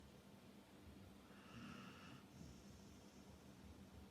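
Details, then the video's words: A Labrador Retriever snoring softly: one raspy, breathy snore swells near the middle and fades into a second, weaker exhalation over a steady low rumble, with no other clear sounds. "Храпящий лабрадор"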